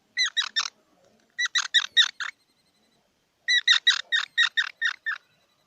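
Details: Three clear bursts of loud, harmonic squeaks from a squirrel: three chirps, then five, then a longer run of eight. Quick, evenly spaced notes with silence between groups.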